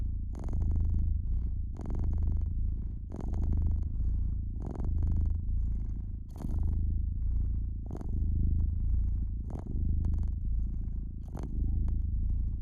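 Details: Domestic cat purring by the fireplace, a soft rumbling drone that pulses with each breath about eight times, accompanied by scattered crackles and pops from the fire.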